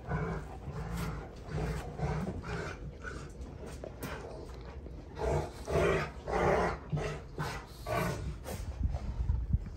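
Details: Two Rottweilers, June and Kenai, wrestling in play, giving deep, throaty growls in pulsing waves of about two per second, swelling into louder snarling surges midway before easing off.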